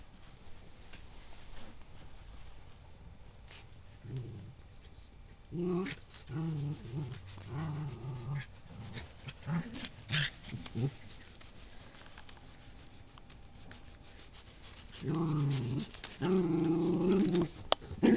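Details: Two dogs playing tug of war indoors in a room, growling in rough, low, harmonic bursts around six to eight seconds and again near fifteen to seventeen seconds, with quieter shuffling and play noise between.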